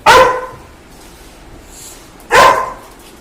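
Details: Labrador Retriever greeting the father of the household, as it does every morning and night: two loud, sharp single barks about two seconds apart over a quiet indoor background.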